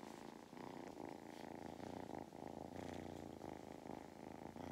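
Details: Male farm cat in County Kilkenny, Ireland, purring loudly during belly rubs, giving a continuous throbbing motor-like rumble with a clear breathing rhythm and no other sounds.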